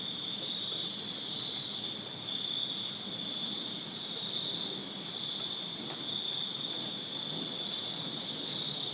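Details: Many crickets chirp in a backyard in Virginia on a summer night, forming a smooth continuous high trill with a fainter upper band, little else audible besides a soft low hiss.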